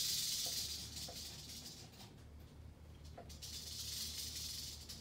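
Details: Rattle of an eastern diamondback rattlesnake: intense sizzling buzz at the start, dropping away for about a second, then resuming strongly. A few soft clicks and low background hum.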